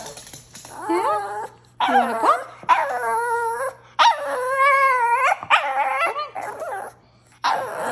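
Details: Shih tzu "talking" in a string of long, whiny yowls, each held about a second, some rising then sagging in pitch, separated by brief pauses, with a short sharp yip between them.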